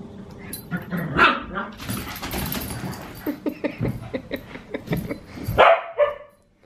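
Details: Australian Cattle Dog puppy Sully in a play session with the household's other dogs at home, at bedtime at the end of a weekend. Rough, rapid barks and growly yaps come in bursts, with a louder sharp bark near the end.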